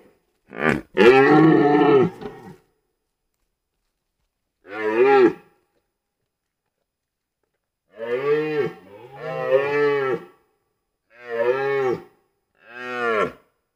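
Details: Red deer (Cervus elaphus) stag in the 2023 rut in Białowieża Forest, Poland, gives deep, harmonic roars about a second long each, in an irregular series.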